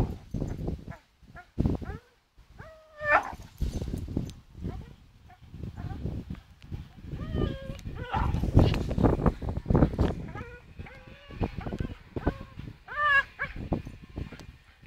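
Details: Charlie, a Staffordshire Bull Terrier, swings on a rope, letting out repeated brief rising-and-falling whines and strained growly vocalisations amid rustling, knocking and rope noise, busiest between three and fourteen seconds.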